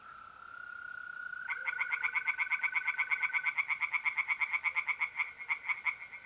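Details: Night chorus from a pond in north-east Italy in mid-April. The steady high trill of mole crickets comes first, then a tree frog breaks in with a long, loud series of quick, rhythmic rasping croaks that runs to the end.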